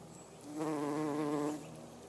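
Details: Garden bumblebee visiting everlasting sweet pea flowers gives a steady, low, harmonic-rich buzz lasting about one second, rising in and fading out smoothly against quiet background.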